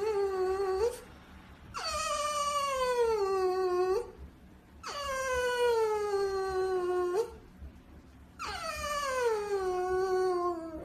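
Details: French Bulldog puppy making four long whining howls, each starting high and sliding steadily down, lasting about two seconds with short pauses between.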